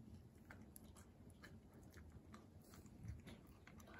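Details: Hana, a female Kooikerhondje puppy born May 30, 2021, kept indoors in Japan, eating a new snack: soft, irregular crunching and chewing clicks scattered over a low, steady room hum.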